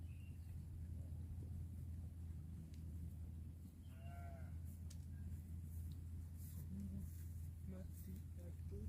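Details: Cow eating grass gives a single short moo midway, faint over a constant low background rumble with scattered clicks and light noises.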